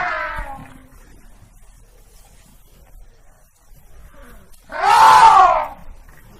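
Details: African elephant giving two harmonic trumpeting blasts, a brief wavering one at the start and a louder, fuller blast near the end, with near silence between.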